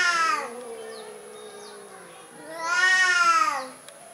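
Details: Timid orange domestic cat giving two loud harmonic meows, one at the start and a longer drawn-out one near the end, with softer voices faintly in between.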